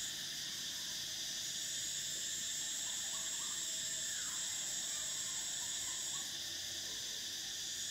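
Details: Summer drone of cicadas, a thick high buzz where one shrill layer swells in partway and later cuts off, with soft scattered bird notes and chirps in the background.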